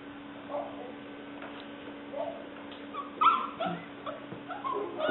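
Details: Leah, a six-week-old black and white tricolour female English Springer Spaniel puppy, recorded 5/11/09, gives soft, brief whimpering squeaks scattered through a quiet room with a steady low hum.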